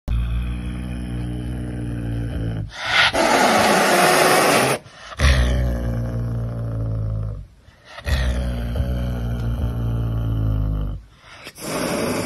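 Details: Pumba the caracal hissing while being massaged: deep, rumbling harmonic growls broken by a loud breathy hiss lasting about two seconds, then more rasping growls separated by short silent pauses.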